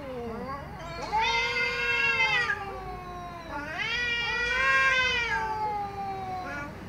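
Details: Angry cat meowing loud and strong, two long drawn-out wailing meows, each starting low, swelling and holding bright and strained before sliding down, with a faint low murmur underneath.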